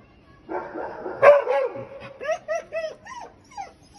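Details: Belgian Malinois on a balcony, arguing with the neighbour dogs: a rough harsh bark, then a run of short, high, tonal yelping barks about every quarter second, each one arched and falling.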